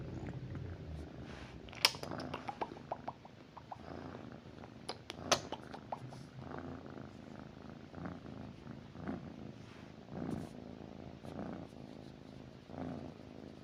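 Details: Cat lying with its owner at night, purring in a rhythmic low rumble that swells and fades, with scattered sharp clicks and rustles of bedding throughout.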